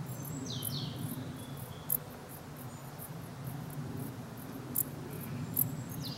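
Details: Short, high-pitched chirps of a dark bush cricket recur irregularly above a loud low rumble, with a few thin descending whistles from birds at the start and end.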